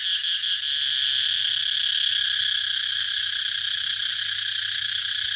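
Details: Continuous piercing cicada buzz, a few quick pulses at the very start, then a smooth, unbroken high hiss of even loudness with a soft low hum underneath.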